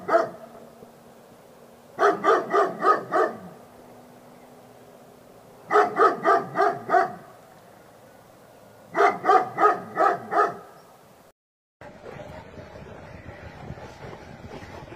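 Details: Labrador Retriever giving repeated barks in four separate bursts of four to five quick, sharp barks each, with short pauses between, then a brief break and a rougher, noisy stretch with no barking at the end.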